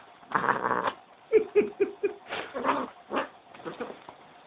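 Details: Angry pet cat, a male described as scary when upset, giving harsh, noisy growling yowls: a long rough burst, then a run of four short clipped snarls about a quarter second apart, followed by several more ragged calls.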